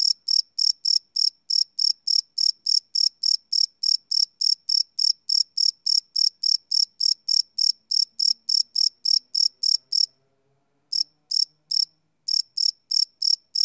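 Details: Crickets chirp at night in a live field recording made with a Sony PCM D100: rapid regular high-pitched pulses for ten seconds, a one-second pause, then the chirping resumes with a few gaps; faint low murmurs briefly underneath.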